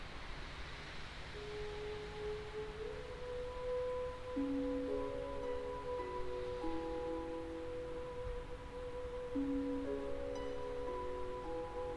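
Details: Soft, sustained chime-like musical tones overlap and shift slowly, with no animal voice heard.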